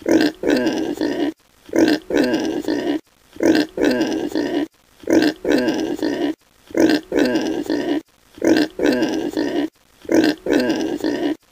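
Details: Piglet grunting in a steady loop: a short grunt, then a longer rough, nasal grunting run, with the pair repeating about every 1.6 seconds and brief silent gaps between bursts.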